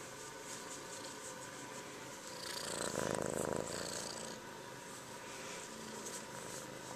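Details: Kitten purring steadily, a soft continuous rumbling throb throughout, swelling louder in the middle before settling back, with faint hiss in the background.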